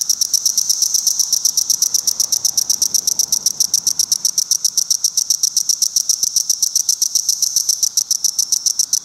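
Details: Courting male Magicicada cassini cicada at a busy roadside rest area near Rhinebeck, New York, with crowds of cassini and decims on the trees: continuous rapid high-pitched clicking pulses, slightly swelling and fading, over a faint lower background chorus.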